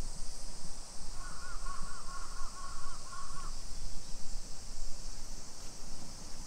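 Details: Continuous high, buzzing drone of summer cicadas in suburban Nisshin, near Nagoya, Japan, on a July 2021 afternoon at 2 PM, while a crow gives a run of rapid harsh caws in the middle.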